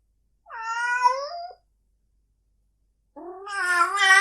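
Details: Domestic cat giving a sound said to make another cat want to mate: two drawn-out, harmonic-rich meows. The first lasts about a second and bends slightly. After a silent pause comes a louder, strained wail that swells toward the end. The background is quiet.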